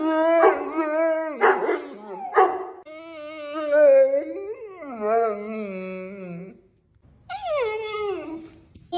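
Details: A 120 lb female Neapolitan Mastiff making varied sounds: three short yelping whines, then long wavering howl-like moans that rise and fall in pitch, a pause, and a final drawn-out descending howl.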